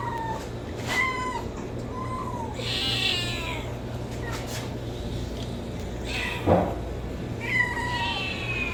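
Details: Several homeless kittens mew in short, high, wavering cries, some rising then falling, about every second as they beg for food, over a steady low hum and a brief human voice.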